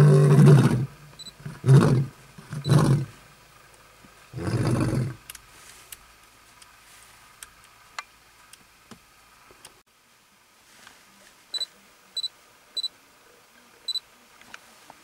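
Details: Lion roaring to mark territory, Kruger National Park, South Africa, August 2012: several deep roars in the first five seconds, then quiet with scattered clicks and faint high chirps.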